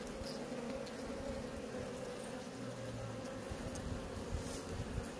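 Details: Honey bees crowding at a hive in Maine-et-Loire, France, licking a drop: a thick, unbroken low buzzing hum of many insects, steady throughout the short stretch.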